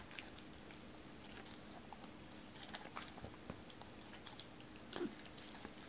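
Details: Doberman named Cola eating raw chicken indoors, her first uncut raw chicken, at first wary and later given joints torn apart by hand; soft wet bites and sharp clicking crunches scattered through a quiet room.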